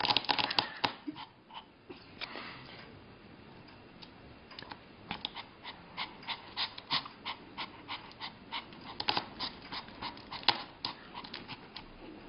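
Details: Small Pomeranian dog indoors, trying with short paws to reach a sausage on a coffee table; quick breathy pants in short bursts, about three to four per second, with soft clicks and scuffs.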